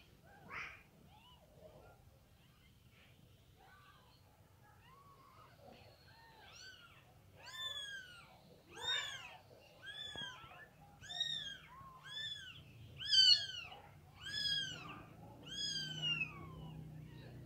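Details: Domestic cat meowing while a mother cat moves her kittens: after a quiet start with one early cry, a run of about ten high, arched, harmonic-rich meows comes roughly once a second, growing louder, over a faint low hum.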